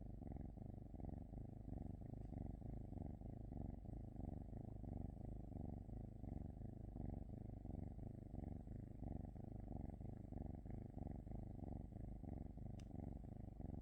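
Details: A domestic cat purring close up: a continuous low, rumbling purr made of rapid pulses that swell and ease steadily with each breath for the whole stretch, with no other sounds intruding.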